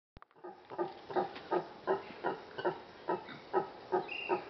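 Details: Brown howler monkeys in the trees on Ilha Grande, Brazil, making a lot of noise: a rhythmic series of grunting, barking pulses repeated about every half second, with a high thin note near the end.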